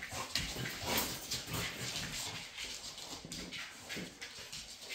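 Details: Female Labrador Retrievers in a group at play: irregular breathy, gruff bursts come about every half second or so among steady scuffling and rustling.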